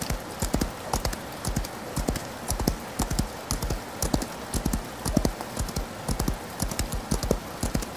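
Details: Rain-soaked gallop of a horse: dull, bassy hoof thumps repeat in uneven triplets and quadruplets, one loud accent standing out near the middle, against continuous rain noise.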